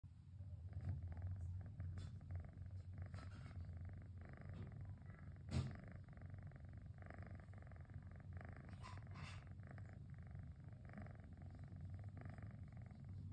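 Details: Cosmos, a domestic cat, relaxing on a rainy afternoon, purrs with a steady, low, motor-like rumble that runs unbroken throughout, with a few faint soft clicks and rustles above it.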